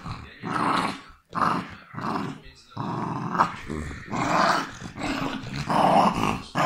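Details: West Highland White Terrier producing a low, rasping growl-snarl in repeated pulses about forty per minute, irregular and throaty, growing denser toward the end, recorded close in a small room.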